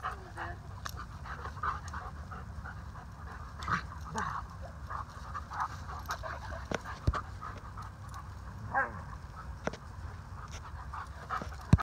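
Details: Alaskan Malamutes Waldo, a male rescue, and Aspen, a boisterous female, romping together. Rhythmic panting and thumps, with brief whining, growling bursts around the middle and again later. Faint human voice.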